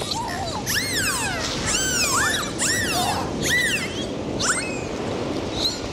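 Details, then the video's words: Underwater in the ocean, dolphins give a run of clear arching whistles, each sweeping up then down, about one every half second, layered over soft bubbling sea noise. "Sound of Dolphins"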